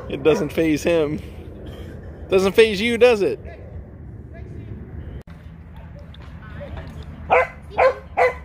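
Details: Jah the Chihuahua yipping in quick bursts of three, high and arched, a pause, another triple run, then three short sharp barks near the end, with human talking underneath throughout.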